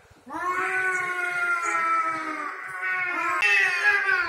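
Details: Territorial cat fight: a single sustained, steady yowl held for about four seconds, with a slight dip and then a sharper, louder rise near the end.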